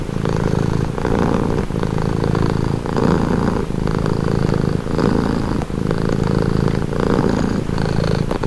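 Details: Domestic cat purring steadily and loudly, a rich low rumble repeating in rhythmic inhale-exhale bursts about once a second, close and otherwise quiet.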